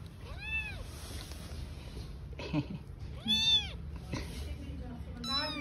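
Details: Newborn kittens with their mother, a cat living on the street, give two clear arched meows and a shorter cry, over steady low background hum and a faint voice.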